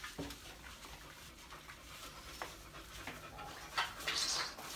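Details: A beagle breathes in rapid, irregular pants with soft whimpering notes mixed in, and a brief higher squeak near the end.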